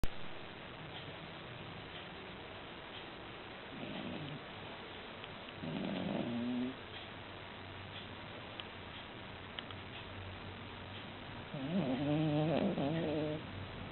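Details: Pelu, a female poodle-Maltese cross, asleep on her back with legs in the air indoors, snoring: soft, irregular breathing snores with louder raspy, buzzing snorts near the fourth, sixth and twelfth seconds over a low steady hum.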